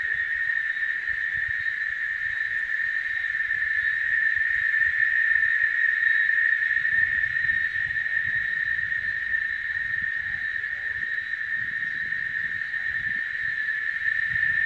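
Cicadas fill the air with a continuous, shrill buzzing drone that never pauses or changes pitch. A faint low rumble, like distant wind or traffic, sits underneath.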